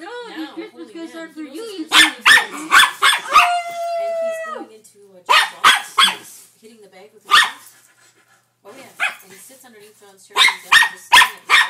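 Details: Norfolk Terrier barking at odd sounds from a wrapping paper tube: bursts of rapid, sharp barks in clusters, a steady hooting tone from the tube midway, quiet gaps, and a person speaking briefly.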